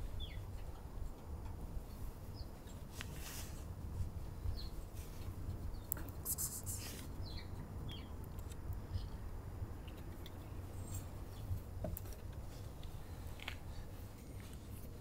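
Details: Male stray cat purring while being petted for attention, nibbling fingers; a steady low rumbling drone continues throughout, with faint scattered bird chirps and rustling in the background.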